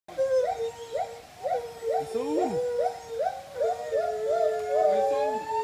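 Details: Monkeys in Thailand give loud, tonal screams that swoop upward and fall back, repeated in a quick, overlapping chorus.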